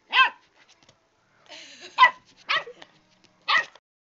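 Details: A new puppy fighting a cat indoors gives sharp, high yapping barks, four spaced bursts over about four seconds, with a softer whining sound between them in a quiet room.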